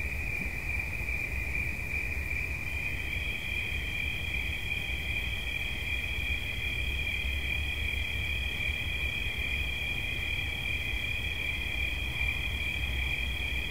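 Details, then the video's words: Steady high cricket trill for relaxation; after a few seconds a second, slightly higher-pitched trill joins and both continue unbroken to the end over a soft low hum. "Świerszcz. Dźwięki relaksacyjne"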